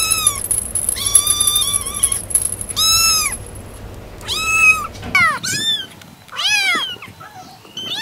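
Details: Kittens meowing in a compilation, a series of bright, rising-and-falling mews roughly every second over a constant high whine, continuing after a cut with quicker overlapping cries.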